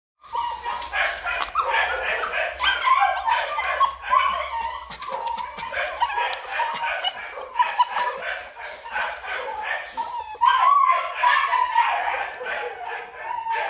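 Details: Black male Belgian Malinois at a kennel in Vietnam, with dense, overlapping yelping barks and high whiny yips running almost without pause through the whole stretch.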